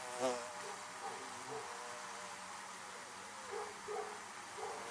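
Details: Bees around beehives: a low, even hum with several short buzzing passes, the loudest right at the beginning, followed by softer flits near and away.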